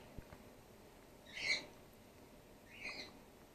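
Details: Female grey-headed flying-fox pup in care, support-fed by bottle after her concussed mother, trapped in an empty swimming pool, lost her milk. Two high, squeaky chirps, the second softer, about a second and a half apart, over a quiet background.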